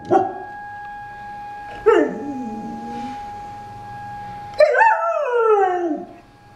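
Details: Pet dog howling along with a weekly tornado siren test, treating it like a fellow howling dog; three howls, each sliding steeply downward in pitch, the last long and wavering, over a steady high siren tone.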